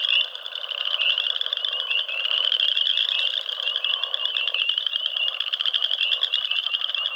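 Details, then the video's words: Many frogs call together in a continuous, high, rapidly pulsing chorus that swells slightly after the first second and then holds steady with no gaps. "Frog Sounds"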